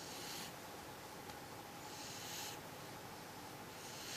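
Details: Sleeping cat snoring quietly, with breathy, rasping intakes that swell and fade about every one and a half to two seconds against constant faint room noise.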